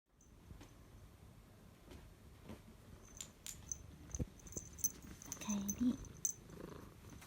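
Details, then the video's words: Female 13-year-old rescued spotted domestic cat, indoors, purring contentedly in a good mood as if greeting its owner on returning home from a night out; low continuous rumbling throb with soft clicks and handling noises. "Rumbling sounds of a cat in a good mood."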